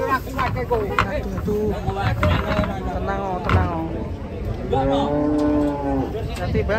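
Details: Cattle coming down off a truck: short lowing calls early on, then one long, steady, resonant moo near the end, with music and crowd noise behind.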